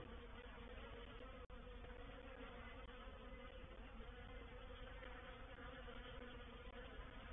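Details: Reproductive honey bee swarm entering a swarm trap at Painted Peacock Manor, 04/07/21; sustained collective buzzing hum, broken once by a sharp click around one and a half seconds.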